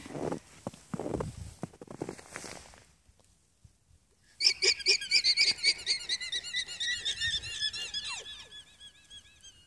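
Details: Alpacas at an alpaca farm in Unity, Maine, alarm-calling at a fox: after a few seconds of low rumbling and murmur, a rapid burst of high, squeaky, toy-like calls, several per second, that continues to the end.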